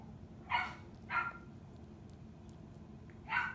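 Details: A 32-day-old puppy at play gives three short, bright yips, two close together early on and one more near the end, over a steady low background hum.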